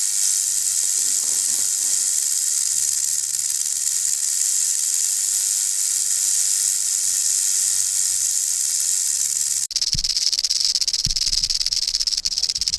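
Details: Cascavel rattlesnake buzzing its rattle to warn off a threat: an even, hiss-like whir runs unbroken for nearly ten seconds, then turns rougher, with scattered low knocks and bumps.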